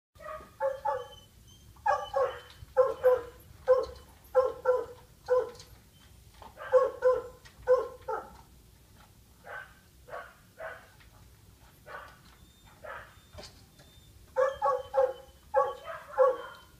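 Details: Female Siberian Husky, a shelter dog in foster care at a training and daycare ranch in Newburg, Maryland, barks in a steady run of short, harmonic, mid-pitched woofs, a couple per second, with brief pauses and a final burst.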